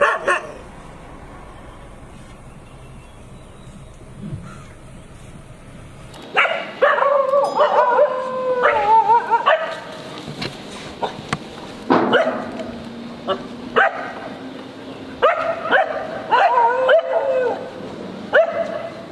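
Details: Dog barking loudly in the street: about six seconds of quiet background, then a rapid, irregular burst of harsh, yelping barks and whines, some with a tonal, rising-falling edge, continuing to the end.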